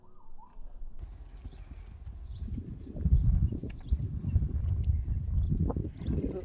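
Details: Young Friesian horses back out on the meadow once the rain is over, quiet at first, then a burst of loud, deep thudding hooves from the third second onward, with a short whistle-like sound at the start.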